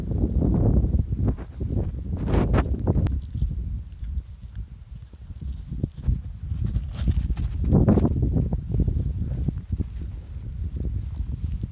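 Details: Donallt Welsh Cob foals in 2020 racing at full speed into fresh pasture, legs flying; dull, rapid hoof thuds in loose clusters rise and fade, with a few sharper knocks and steady low outdoor rumble throughout.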